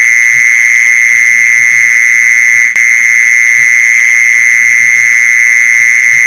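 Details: Mole cricket call, played to lure mole crickets: one loud, unbroken, steady buzzing trill that holds the same high pitch for the whole stretch, with faint soft low thumps beneath.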